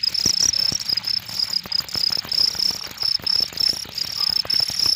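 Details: Cricket chirping loudly in high, rapid pulsed bursts, roughly two or three per second, with light tapping and rustle in the background.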